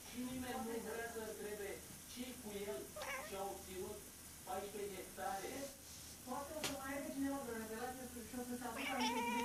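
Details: House cat seemingly talking to an imaginary friend, giving a steady stream of short warbling chirps and chattering meows, rising and falling in pitch, with a sharp click midway and a slightly longer meow near the end.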